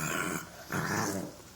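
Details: Young bulldog puppy making gremlin-like noises indoors: two short gravelly growls, the second louder and rougher, with a brief gap between them.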